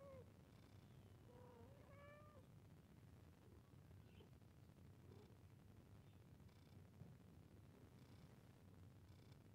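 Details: Cat mewing during play: a quick falling mew opens, then a longer meow that rises and holds. The rest is quieter, with faint clicks and soft sounds over a low background hum.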